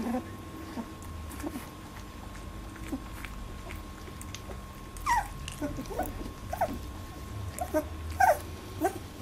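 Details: A litter of Labradoodle puppies, 18 days old, in their first milk fight. The first half is mostly quiet shuffling, then scattered bright, rising squeaks and short whines come in bunches, over a faint steady hum.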